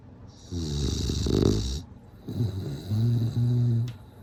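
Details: A bulldog snores in its sleep, one loud rattling, hissing inhale swelling and fading, then a run of low, slightly wobbling humming exhalations broken into short pulses.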